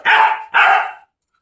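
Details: German Shepherd chained for the first time, giving two loud harsh barks in quick succession, each broad and rough with a sharp onset, then silence.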